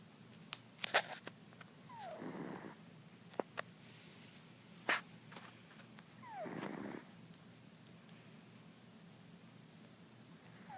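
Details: Sleeping pet cat Mr. Jigilo, known as Jiggy, snoring indoors with soft breathy snores about every four and a half seconds, each carrying a thin falling whistle, among scattered small clicks and taps.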